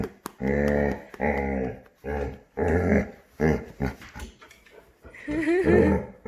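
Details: A male Labrador puppy, usually quiet, gives drawn-out, moaning, cow-like groans in several long bursts, as he does every morning on waking.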